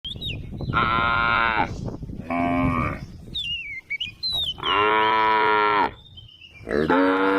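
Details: Tame cows roaming on a road: four rich, harmonic moos, the longest stretching over a second, with short gaps between. Thin whistled bird chirps slip into the pauses.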